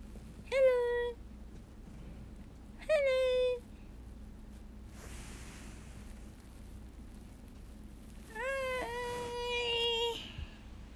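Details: Pet guinea pig hiding under a cap gives three clear tonal calls with strong harmonics: two short half-second calls a couple of seconds apart, then a longer, steady call of about two seconds, over a low indoor hum.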